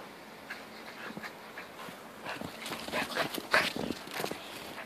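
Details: Jack and Bobby, two dogs at play in a snowstorm, pant in rapid breathy puffs, nearly three a second, growing louder and more urgent toward the end, with a faint whimper in between.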